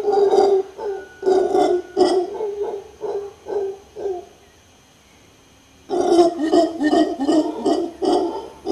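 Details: Mantled howler monkey in Guanacaste, Costa Rica, howling: rough, guttural pulsed bursts repeated more than twice a second in two bouts, separated by a roughly two-second pause.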